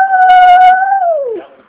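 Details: Benji, a small Chihuahua, howls indoors while waiting for his owner, crying as he sometimes does when grandma or his owner leave: one steady, clear, mid-pitched howl held about a second, then sliding downward and fading out.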